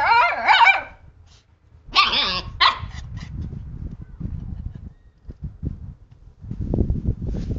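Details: A male and female Siberian husky pup mouth and play with a hand; a squealing whiny yelp opens, then two or three sharp puppy barks, followed by soft scuffling and chewing noises.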